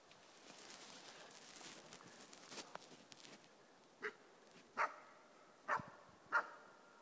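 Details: Four-month-old East Siberian Laika bark-baying a moose during hunting: several seconds of rushing, crackling noise, then four clear sharp barks roughly every second toward the end.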